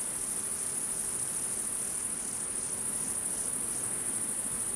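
A chorus of night insects gives a steady, very high-pitched shimmering drone with no breaks.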